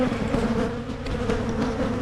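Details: Brief burst of honey bee hive noise in Michigan while hives are split to prevent swarming: an even, close buzzing drone with a steady low hum and no other sounds standing out.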